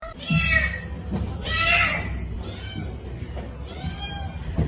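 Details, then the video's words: Kitten meowing with three drawn-out, harmonic meows spaced about a second or more apart, over a steady low rumbling background. "kitten meowing call"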